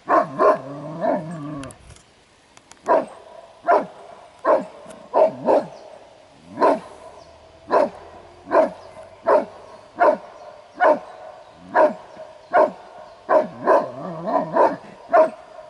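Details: Kuvasz dog defending its territory and its owner's property during a guarding test at a Kuvasz competition; loud, sharp barks repeated about once a second, about twenty in all, with a low droning voice-like sound at the start.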